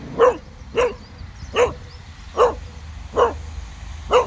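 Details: Cocker Spaniel named Casper barking at a tiny snowman in a park, agitated yet wagging his tail; six loud barks in a steady run, roughly one every three-quarters of a second, over low rumbling background noise.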